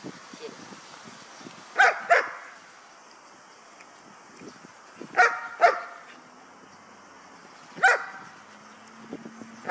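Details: Trained guard dog guarding an item during a training exercise in Ha Tinh, Vietnam, barking in paired barks repeated every few seconds while a man shouts at it to go away.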